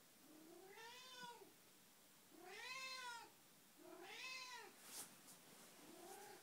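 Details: Indoors at 6 am, Betty the Alzheimer's cat meows to wake her household: three full arched meows roughly a second and a half apart, a brief click, then the start of a fourth.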